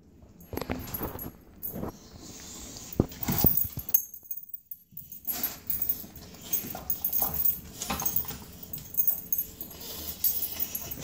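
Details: Puppy sniffing while trying to get at something under a table: bursts of short, breathy, noisy snuffles, with a brief silent gap near the middle and faint high background hiss.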